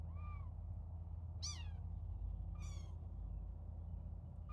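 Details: Little kittens at play, only now starting to play with their keeper, giving three short high meows, each a rising-then-falling arc, spaced about a second apart over a steady low hum.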